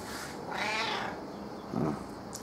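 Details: Affectionate female house cat seeking cuddles, her meow dropped a few tones lower; one drawn-out moaning meow, then a shorter low murmur near the end, over faint room noise.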